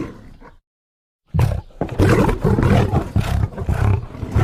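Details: Lion roar beginning after a moment of silence: a sudden, heavy, rumbling burst of deep roaring pulses that continues loudly to the end.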